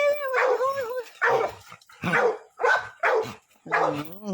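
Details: Cake, an American Pit Bull Terrier, gives a run of loud, tonal, whining barks in short bursts about every half second to second, some drawn out into wavering howl-like notes, with brief gaps of quiet between them.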